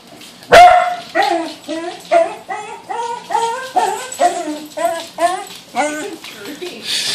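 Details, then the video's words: Lakota, a female Pembroke Welsh Corgi upset by a balloon, lets out one loud bark followed by about a dozen high, bent, whining yelps repeated roughly every half second, with faint human voices behind. "Corgi Freaks Out."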